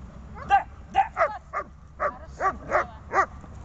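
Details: During a tethered training session of gripping, struggling and calming, a dog gives eight sharp barks spaced roughly half a second apart, each one short and bright.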